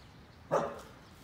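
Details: A red female Akita, one year ten months old, playing with a plate instead of patrolling, gives one short, sharp bark in otherwise quiet surroundings.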